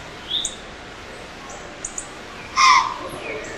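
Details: Alarmed doe of the white-tailed deer in Pennsylvania, stomping at an intrusive person filming her, lets out one abrupt, forceful breathy snort late in the recording; soft ambient noise and brief high bird notes around it.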